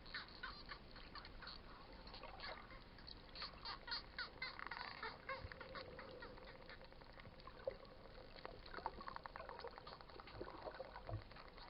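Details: Wild dolphins underwater at Coraya bay, Marsa Alam, Egypt, heard by snorkelers they approached. Dense rapid clicking runs throughout, with buzzy pulsed squawks near the middle and a steady underwater hiss behind.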